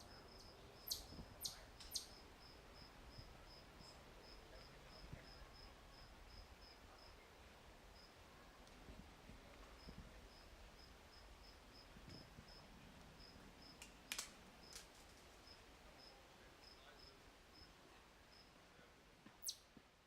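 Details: A cricket at Walden Pond chirps steadily, with high, thin pulses repeating about three times a second.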